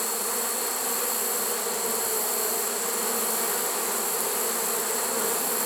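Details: Late-season honey bee swarm in a swarm trap, September 1, 2019, many bees together: a continuous droning buzz with a constant, level hum and no pauses.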